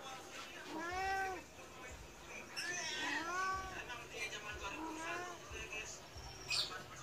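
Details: Persian cat of medium build demanding food although freshly fed, seemingly cross: three clear, arching meows about two seconds apart, each swelling then dropping, over faint room noise and a short human word.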